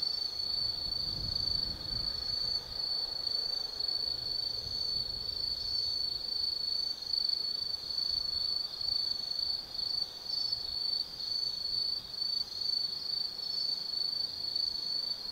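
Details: Autumn insect chorus at night on the Tsukimi no Mori lookout, Gifu Prefecture, Japan: an unbroken high-pitched trill with rapid flickering pulses, layered with a fainter second trilling voice and soft distant rumble.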